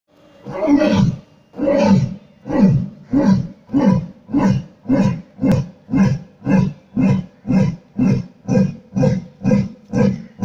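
A lion roars in two long, deep moans, then a run of shorter, steady grunts.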